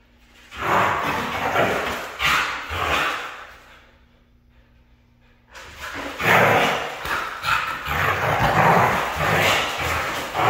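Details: Red female Siberian Husky making loud, raspy, drawn-out vocal bursts for about three seconds, pausing briefly over a low hum, then resuming with a longer run of noisy, uneven outbursts.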